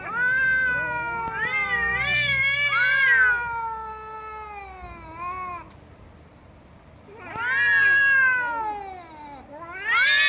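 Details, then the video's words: Loud cat meows: long, wailing calls that rise and then slowly fall, in bursts separated by a few seconds of quiet, with a new meow starting at the end. "Cats Meowing Loudly"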